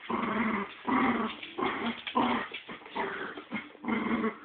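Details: Two pet dogs fighting over a squirrel toy indoors, trading rough, throaty growls in bursts of about half a second to a second, separated by short pauses.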